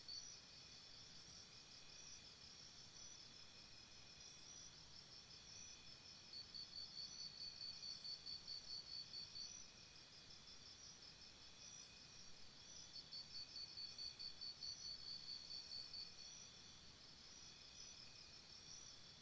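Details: Night-time crickets near a campsite keep up a continuous high shrill drone, while louder rapid pulsed chirp series rise twice, each lasting a few seconds, over a quiet hissing background.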